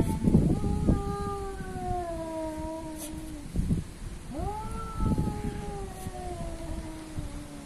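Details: Two cats labelled Asian and African square off. Two long, wavering yowls sink slowly in pitch, the second beginning with a sharp upward scoop. Low thuds and scuffling noise sound beneath.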